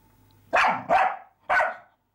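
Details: Sparx the dog barking at a mouse that teases him: three sharp, loud barks in quick succession, the first two close together, the third after a short pause, over a quiet background.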